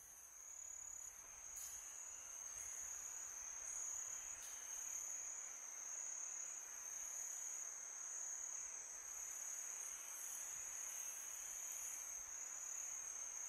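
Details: Crickets chirping on a peaceful summer night: a steady, unbroken high-pitched trill that holds one shrill tone throughout, with faint pulsing above it, over a soft broad hiss of wind.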